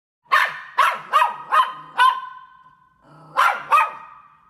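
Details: A dog barking in sharp, loud bursts: five quick barks spaced about half a second apart, a pause, then two more, each bark with a bright harmonic tone and short trailing ring.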